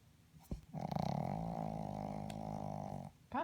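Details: Miss Poppy, a pet dog, lets out a sustained low growly rumble of about two seconds, steady and droning, after being woken from sleep indoors, with a short sharp sound at the end.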